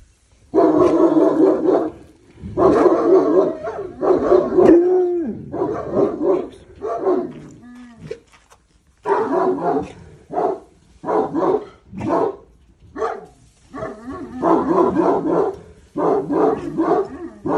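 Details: Boçi, a Cane Corso learning to take commands, barks in loud, deep bursts, some run together into rapid volleys, others single and spaced, with brief quiet gaps between them.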